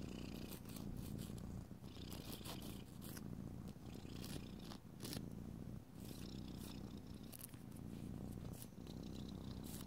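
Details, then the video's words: Pet cat purring steadily indoors as nails are filed beside it; deep pulsing rumble without a break, overlaid by frequent short scratchy filing strokes and light tapping. "ASMR Cat: Nailed It! [no talking] [filing long nails] [rubbing oil/lotion] [purring]"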